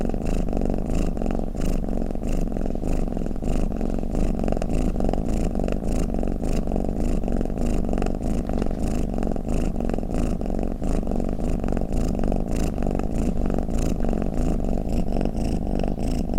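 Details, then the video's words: Long stretch of a house cat's snoring purr, a dense low vibration that keeps a steady breathing pulse throughout, with faint crackly texture over the rumble. "เสียงแมวคราง เสียงกรนของแมว | snoring cat"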